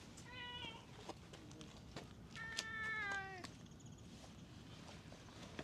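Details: Stray ginger tabby cat at a ferry terminal after rain, heading to the ticket office to be fed; two clear harmonic meows, a short one, then a longer drawn-out wail, over steady low outdoor rumble.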